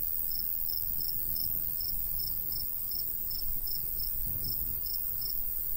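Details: Natural cricket sounds from a golden wheat field on a summer countryside day with a light breeze. Crisp, high chirps repeat evenly about every third of a second over a low breezy rumble.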